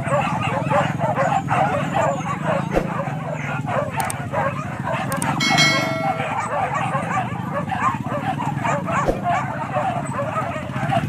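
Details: Dogs barking during a wild boar hunt at Kayu Ampek, Tanjung Emas district, Tanah Datar; rapid overlapping barks from a pack, a brief tonal whistle-like sound midway, sharp knocks, and a low rumbling background with voices.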